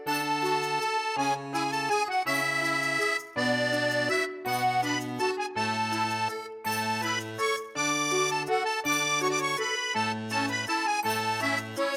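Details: Lively accordion tune with steady chords and a repeating melody, with no animal voice audible.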